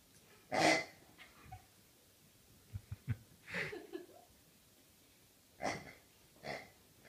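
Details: Rhodesian Ridgeback on its birthday, grunting and snuffling like a pig: a loud breathy wheezing snort early on, a few soft clicks, then a drawn-out snuffle, and two more airy snorts near the end, indoors and otherwise quiet.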